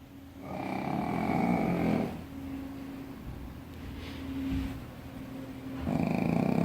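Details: A sleeping Shih Tzu snores in long, rough, rumbling breaths, with quieter wheezing passages between them.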